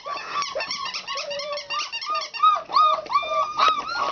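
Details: Four-week-old country puppies playing and practising their voices, giving overlapping high, thin whines and squeaks, some rising and falling, in a rapid continuous chatter of several pups together.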